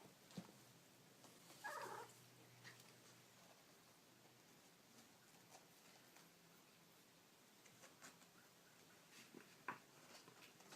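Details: Baby kittens make small noises indoors. A single short, shrill mew comes early, with a faint squeak near the end. A low steady hum and light tapping run underneath.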